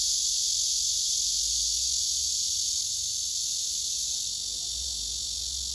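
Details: Male cicada singing on a tree beside other cicadas, phone recording: a continuous shrill buzz, very steady, fading slightly toward the end, with a soft low hum underneath.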